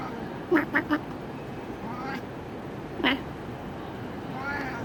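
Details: Pet cat chattering while watching a bird: three quick clipped chirps in rapid succession, then a single similar chirp about two seconds later, over low indoor hiss.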